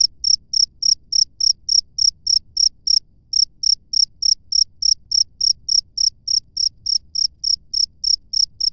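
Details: Chirping of a wild cricket out in nature, bright high pulses in a regular run of about three per second, briefly pausing after the first three seconds before resuming, light low-frequency background murmur.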